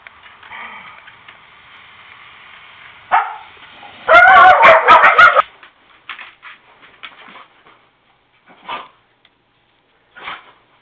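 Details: On a snow day, dogs give a soft whine, then a loud burst of rapid, ringing yipping barks lasting about a second, followed by scattered quieter yaps and short barks tapering off.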